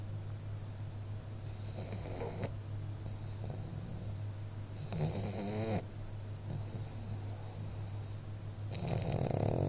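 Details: A sleeping pug snores loudly indoors. Rough, rasping breaths come in three bursts across the recording. The middle one carries a wavering, whistled nasal tone, all over a constant low hum.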